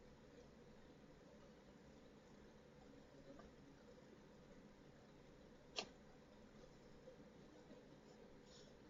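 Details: Mini Dachshund puppy, four months old, that could not stop sneezing: after several quiet seconds of low room hum, a single abrupt, breathy sneeze snaps out, followed by faint soft rustles.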